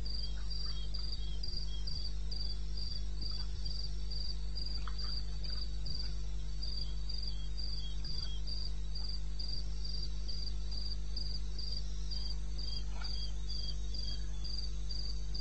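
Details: Cricket calling in the wilderness of eastern Botswana, recorded at 2:30 AM on 21 May 2016: short high chirps repeated steadily about three per second, with a second fainter caller slightly lower, over a constant low hum.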